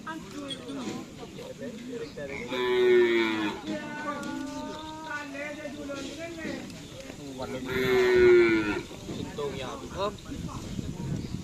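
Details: Bull racing practice for karapan sapi at the Asemanis field, Pamekasan, Madura: cattle give two long, level, harmonic moos about five seconds apart, each lasting about a second, over chatter and crowd noise.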